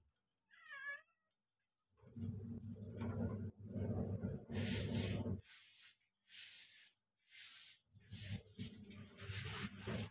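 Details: Two kittens eating together: one short, high, wavering meow near the start, followed by steady low chewing and lapping noises with scattered sharp clicks and hissy bursts.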